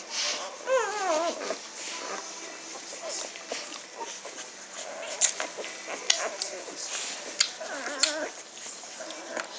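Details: Magyar Vizsla puppies from a litter, recorded 17 May 2015: high, wavering whimpers with rising and falling pitch in the first seconds, a second burst near the end, and soft rustling and clicks throughout.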